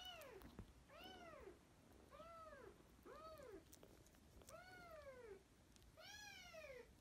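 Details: Kitten from sisters fostered in spring 2017 meows steadily about once a second, each arched cry rising then falling, over a constant hiss of background noise.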